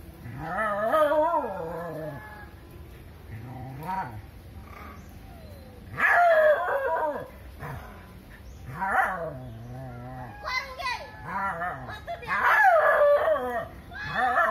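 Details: Dog barking and almost crying to drive a monkey out of its area; wavering, whining howls that rise and fall, in loud bursts near the start, at six, nine and twelve seconds, with quieter cries between.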